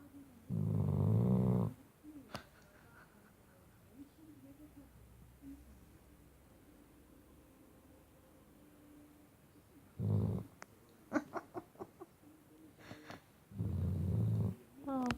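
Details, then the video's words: A sleeping Shar Pei pup on a bed gives deep, low snorts. One long snore opens the recording, followed by a quiet gap, a short snort and another snore near the end, with faint indoor rustling. "Funny, loud, Snoring Shar Pei"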